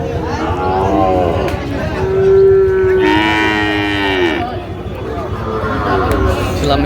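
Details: Sahiwal bull calf at a cattle market in Chattogram, Bangladesh, on 7 March 2025; a loud, drawn-out moo of about two seconds, steady then falling slightly at the end, over a background of market voices and chatter.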